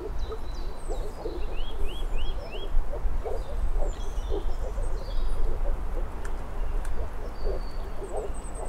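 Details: Dense calling of moor frogs (Rana arvalis): rapid, low, hollow pulses overlap throughout. A bird gives four quick rising notes early on, other thin high calls follow, and a strong low rumble persists.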